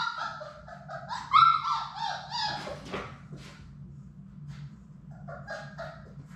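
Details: Labrador Retriever puppies, one of a litter of six at play in a puppy play room, give a run of high, tonal whimpers and yelps, one rising squeal sharper than the rest, then softer whines trailing off over a steady low hum.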